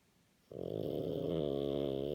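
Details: French Bulldog Napo, sound asleep after tiring himself out playing on a walk, starts a loud, rattling, buzzy snore that swells in abruptly and holds steady, indoors.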